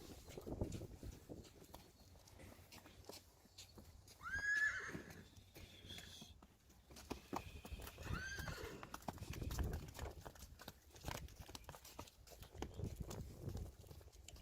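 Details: Friesian horse in a herd during weaning of foals: one short, high, arched whinny rises and falls near mid-clip, then a fainter second call follows, over hoof clatter and rustling.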